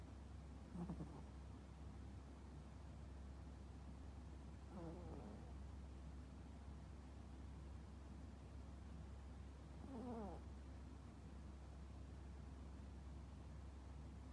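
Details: Toy poodle sound asleep, snoring: three separate rasping, wavering snore bursts spaced about five seconds apart, each under a second long, over a steady low indoor hum.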